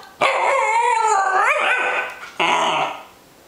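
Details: A female Pembroke Welsh Corgi, coaxed by her owner to talk, chortles in two wavering, yodel-like bursts, the first bending upward near its end.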